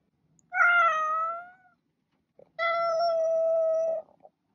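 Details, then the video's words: Two loud, sustained cat meows roughly two seconds apart; the first bends down slightly and fades, the second holds a steady pitch for about one and a half seconds before a soft click, quiet surroundings. "Cat Meowing"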